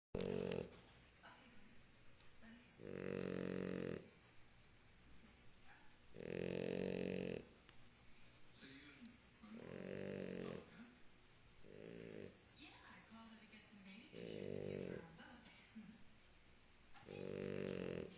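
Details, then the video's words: Sleeping female French Bulldog snoring loudly, each rough, rasping breath lasting about a second and recurring roughly every three to four seconds, with quieter snuffling between snores. "Bulldog francés Mozita roncando"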